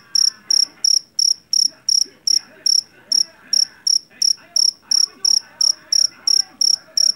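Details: Javanese cricket caught in a rice paddy, known for its shrill voice: steady, sharp, ringing chirps about every third of a second, with a soft background murmur.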